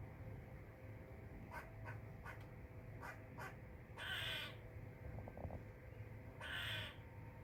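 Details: Loud squirrel chirps: a run of brisk, clicky chips followed by two longer harsh, buzzy rasps a few seconds apart, set against a steady low background drone.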